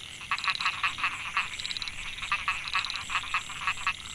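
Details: Male Microhyla pulchra narrow-mouthed frogs calling to females at Mae Hia rice field, Chiang Mai, Thailand, 2014. Quick rasping pulses repeated about five times per second, in two bursts separated by a brief pause, over a steady high whine.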